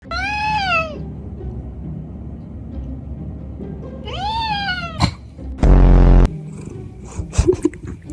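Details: A house cat meows twice, each call arching up and then down and lasting about a second, roughly three seconds apart, followed by a loud burst of broadband noise and clattering sounds.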